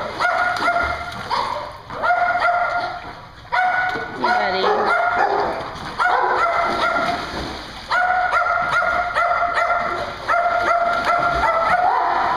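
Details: Chorus of dogs barking at a Hooksett, New Hampshire dog daycare: clustered runs of sharp harmonic barks separated by short pauses, a faint human voice briefly audible amid the din and a constant hum behind.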